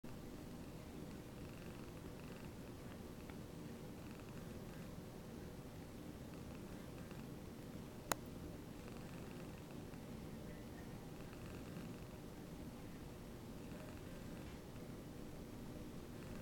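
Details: Domestic cat purring happily while another cat grooms its fur; a soft, steady low rumble runs throughout, with a single sharp click midway.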